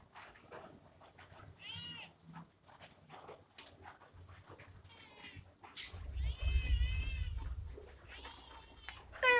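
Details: Kitten meowing indoors: several short, bright meows with arched, wavering pitch near 1.8 s, 6 to 7 s and 8 s, plus a sharp rising cry at the end, over low rumbling handling noise and soft clicks.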